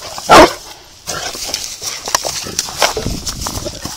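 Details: A big Saint Bernard scared by a little rock in the water gives one loud, short bark near the start, followed by quieter noises, a person calling out and background music.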